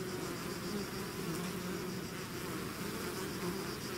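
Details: Short burst of a bee swarm leaving the hive, an even, dense buzzing drone with overlapping low hums and occasional rising whines of single bees.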